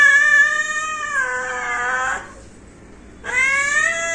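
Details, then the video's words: Family cat letting out a sustained, complaining meow that dips in pitch midway, followed by silence and the loud start of another rising meow. "आमच्या म्याऊ😻 cute cat video"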